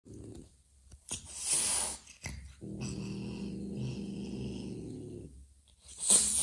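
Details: Mother cat Joanna, apprehensive toward an adopted ginger kitten that smelled foreign, gives a broad breathy hiss, then a low, steady rumbling growl lasting about three seconds, with a short sharp hiss near the end.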